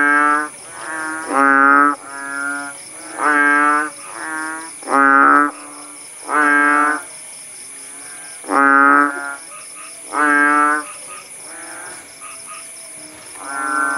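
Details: Frogs (kodok bangkong) calling in a village after the rain had stopped, at Paya Bujok Tunong, Langsa, Aceh: loud harsh rattling croaks in bursts of about a second, repeated irregularly, with faint insect hum steady in the background.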